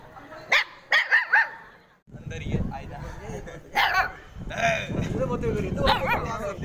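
An Indian pariah dog puppy gives a quick run of four high, sharp yips, followed by human voices.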